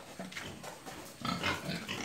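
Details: Farm pigs in Assam, India, kept in indigenous style; soft noisy grunting at first, swelling into a louder cluster of harsh, breathy grunts in the second half.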